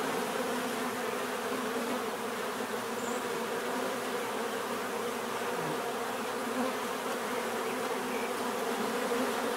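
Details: Bees buzzing in nature, a dense steady drone made of many overlapping wingbeat tones around the low-middle range, continuous and even in loudness throughout without pauses.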